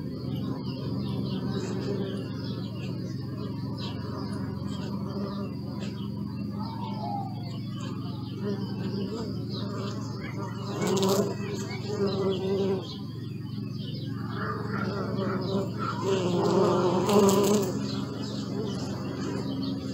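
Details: Continuous low buzzing of bees, with the drone swelling as insects pass nearer around the middle and again near the end. Scattered faint bird chirps sound in the background.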